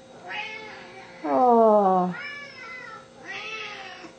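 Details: Hungry Siamese cats at home, seal point male Pharaoh aged four and blue-lilac point female Athena aged two: a loud, drawn-out, falling meow in the middle, framed by higher, thinner meows, plus light room noise.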